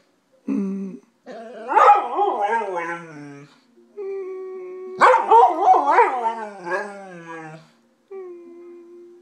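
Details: Golden retriever Jimmy, howling like speaking human: choppy, talk-like howled phrases with rapid pitch wobbles and short yelps, broken by pauses, ending in a soft steady tone.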